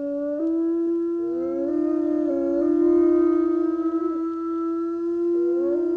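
Iberian wolves howl in long, smooth, sustained tones with gentle pitch slides.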